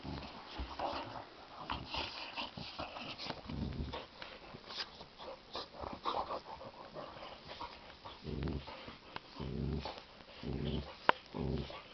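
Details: Pair of Boxer dogs in play fight, clashing their teeth as boxers do: bursts of low rumbling growls rising and fading every second or two, mixed with huffs, snorts and a sharp tooth click near the end.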